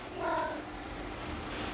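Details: Big Maine Coon cat talking: one short tonal, chirp-like meow of about a quarter second, with a steady mid-pitched voice and a faint overtone, followed by quiet room hum.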